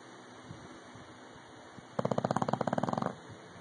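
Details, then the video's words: Loud snore from Rocky, an English Bulldog, a fast pulsing rattle lasting about a second after a quiet stretch of soft breathing and faint background hum. "English Bulldog Rocky snoring..... Loud"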